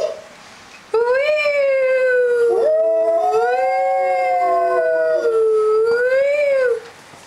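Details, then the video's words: Doberman howling at sirens as its voice changes: one long, rich harmonic howl that rises, holds level, wavers gently and ends with a soft rise and fall. "Klaus the Doberman - Voice is changing"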